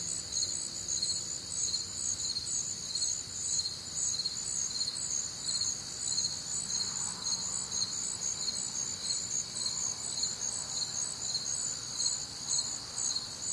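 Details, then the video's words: Night chorus of crickets on a warm, humid summer night in the American Midwest: dense high-pitched pulsed trilling, roughly two chirps a second, continuous and even, with a soft low background hum. "Night Time Cricket Sounds"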